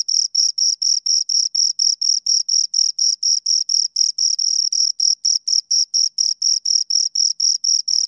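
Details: High, ringing cricket chirps from two insects, about four short pulses each second, sometimes merging into slightly longer bursts. Nothing else is heard.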